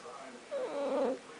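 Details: Pet cat described as talking makes a short, wavering, murmured meow, slightly quavering in pitch, with a person speaking just before and after.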